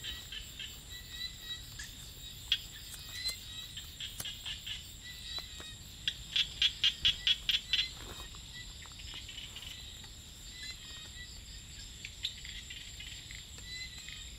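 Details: Small frog calling at night among rice fields: a quick run of about six evenly spaced, sharp high notes midway through, laid over a continuous shrill insect chorus with scattered chirps and clicks.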